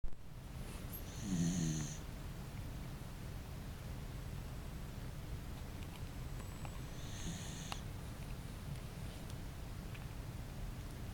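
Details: Elf, a large dog, snoring hard while asleep: two rough, rumbling snores with a hissing breathy edge, about six seconds apart, in an otherwise quiet room.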